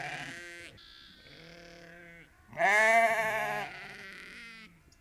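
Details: Sheep farm chorus of some 30 to 50 ewes and lambs: a string of medium and soft bleats from several animals, with one loud, trembling bleat in the middle lasting about a second.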